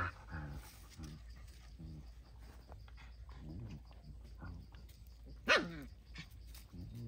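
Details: Dog puppy with its mother, shown kissing her; soft, low whimpering grunts repeated about once a second, with a sharper squeak near the end over faint background noise.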